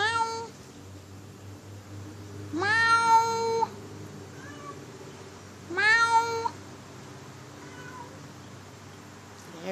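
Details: Cat compared to a howler monkey voicing two long, flat, strained meows roughly three seconds apart, each rising briefly at onset then holding steady, with faint softer calls trailing after in a quiet room.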